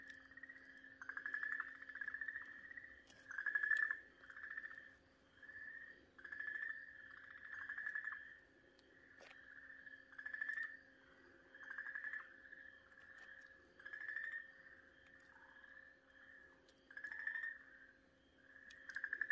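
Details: Okinawa green tree frog screaming in distress while a Ryukyu keelback snake bites and swallows it, 4 March 2023; a shrill, buzzy, pulsed cry at steady pitch comes in bursts about every one to two seconds, with a faint steady background hum.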